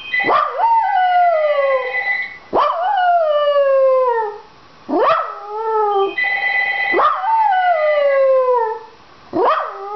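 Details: A Dachshund named Penny wanting the ringing phone answered gives five howls, each a sharp rising yelp sliding into a long falling wail, about two seconds apart, while a telephone bell rings between them.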